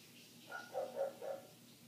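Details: Neighbour's dog heard from inside a house with closed windows, barking nonstop for eight minutes; three quick, muffled barks in under a second against low room hum.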